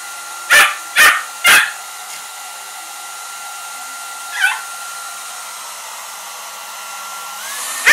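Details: A Shiba Inu facing a hair dryer set on cold gives three quick, sharp barks, then a lone yelp, over the dryer's steady whine.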